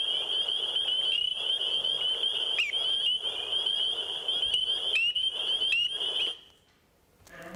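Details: A Fowler's toad, caught around 10 pm near a property, gives a long, nasal, buzzing drone, high and steady, with brief catches in its flow.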